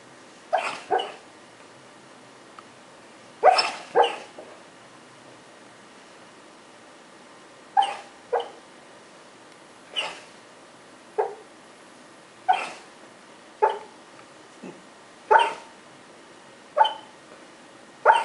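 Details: A dog making noises while it dreams in its sleep: short muffled yips and soft barks, single or in quick pairs, spaced every one to two seconds, in a quiet room.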